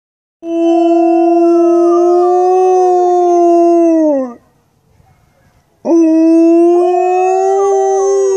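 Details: Two adult female Alaskan Malamutes, a 125-pound cousin and a 65-pound cousin, give long, steady howls in their yard, their voices blending and wavering together.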